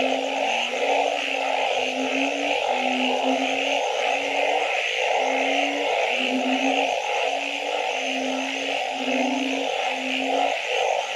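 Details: Night-time frog chorus: a steady string of brief low tonal hoots, sometimes overlapping from two callers, set against a thick background wash of trills and buzzes.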